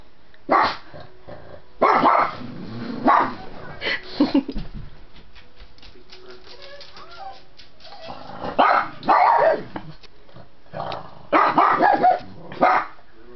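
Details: A pug barks in short, sharp bursts at mammoths on TV from Ice Age 2, wanting to get at them, with quieter background sounds between barks.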